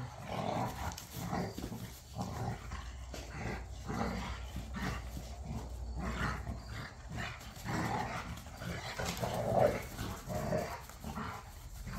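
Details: Several dogs, pit bulls and a Malinois, playing rough in a back yard during tug of war: continuous low throaty growling with snarls and short gruff barks, rising and falling in bursts.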